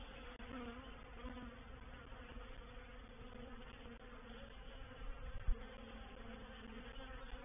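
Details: Reproductive swarm of honey bees occupying a bait hive at Painted Peacock Manor on 04/07/21: deep, heavy humming drone weighted toward low pitches, steady throughout with one brief knock near the end.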